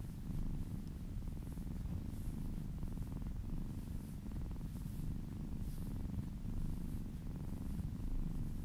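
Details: Kitten or cat purring contentedly while massaged; an even, deep vibrating rumble sustained for the whole stretch, with gentle swells in loudness and faint soft rustles above.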